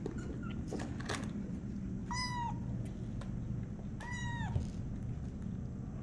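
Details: Tiny kitten on a slippery floor as it learns to walk, giving two clear arched meows about two seconds apart, with light tapping and scuffling noises and a low steady room hum.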